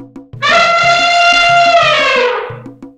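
An elephant gives a loud, brassy trumpet blast lasting about two seconds over a steady musical beat.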